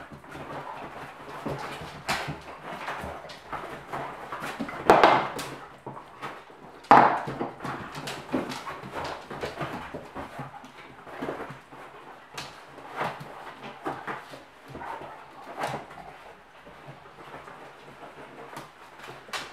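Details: German Pinscher play session: a mother with three puppies and a Doberman romping together; two sharp, loud barks stand out midway amid scuffling, thumps, light whimpers and pattering paws.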